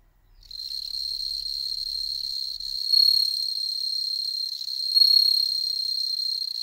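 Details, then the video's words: Bell cricket song from captive-bred insects in Hokkaido, where none live wild, kept at home while cats watch: a steady high ringing trill starting after half a second, with two louder swells near three and five seconds, faint low rumble early on. "スズムシ観賞会 Bell cricket"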